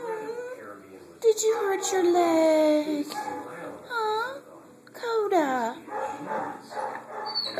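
A Siberian Husky 'talks' in drawn-out whines and yowls, complaining to its owner about a hurt leg.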